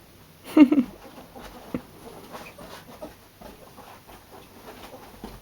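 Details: Two pet ferrets at play, making funny noises: a brief burst of soft, clucking chatter near the start, followed by quiet scuffling and light tapping movement sounds.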